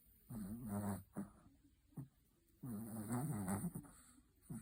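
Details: Sleeping Chihuahua snoring in a quiet room, two long grating, fluttering snores that rise and fall, each followed by brief snorts and short breaths, with near silence between them.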